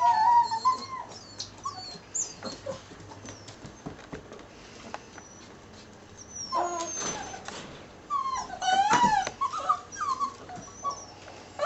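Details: Litter of ten six-week-old puppies, Staffordshire terrier and Border collie/German shorthaired pointer cross, making scattered high squeaks, short whines and yips among soft rustling and clicks, louder near the end.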